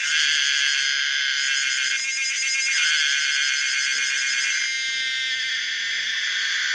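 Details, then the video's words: Common cicada Pomponia linearis singing: a loud, continuous harmonic buzz spread across high pitches, with a brief shift in texture midway before the steady drone resumes. "the weird sound of the common cicada pomponia linearis"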